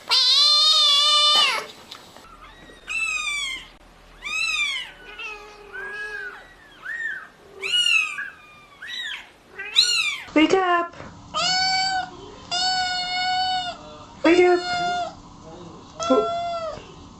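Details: Compilation of kittens and cats meowing, a loud long meow opening a rapid series of short high arched mews, some overlapping, followed by several steady, flat-toned meows repeated about once a second.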